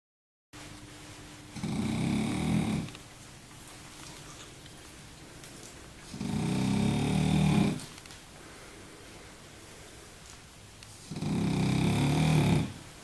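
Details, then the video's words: French bulldog named Baboo asleep during a nap, snoring indoors: three loud, low, rasping snores about every five seconds, each lasting over a second, with quiet breathing between them in a small room. "baboo un bouledogue français qui ronfle !!"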